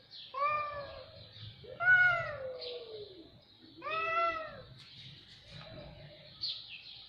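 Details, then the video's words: Cat meowing: a string of harmonic meows, some short and some drawn out with a falling tail, spaced irregularly about two seconds apart over a soft background. "صوت قطط رهيب"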